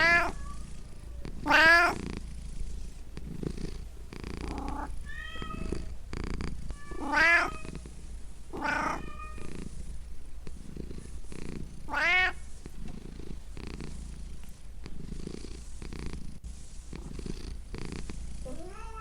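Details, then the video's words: Domestic pet cat purring with a low, steady rumble while giving about seven rising-and-falling meows spread irregularly through the stretch, indoors. "Cat Pets Purring Meowing Sound Effect"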